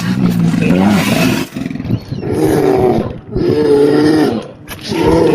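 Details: Grizzly bear roaring in loud, rough bursts, three long harmonic roars of about a second and a half each, separated by short pauses, with deep rumbling undertones.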